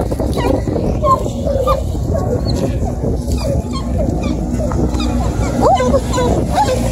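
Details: Two bluetick beagle puppies, aged four and five and a half months, on their first chase after a deer hide near Kingston, Ontario: scattered thin high yips and whimpers under a steady low wind rumble.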